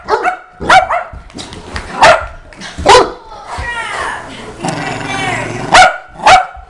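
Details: Saint Bernard dog barking in loud, deep bursts spaced a second or so apart, with a talking voice heard between the barks.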